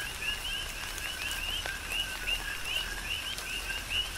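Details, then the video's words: Rhythmic coqui frog chorus in Big Island, Hawaii rain: about a dozen short upslurred chirps in four seconds, paired with a lower tone, against a steady wash of rain and a few distinct drips. "Tropical Rain & Coqui"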